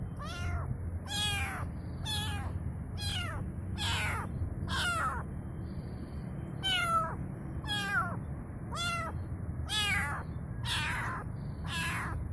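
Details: Small kitten calling for its mother with a long run of short, sharp, high meows, roughly twelve in twelve seconds, unevenly spaced, each bending upward then down, with low rumbling background noise.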